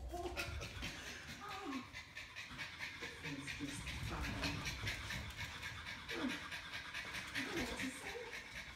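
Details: Norwich Terrier panting indoors in a house, a steady run of quick, breathy rasping puffs filling the whole stretch, with people talking over it in the room.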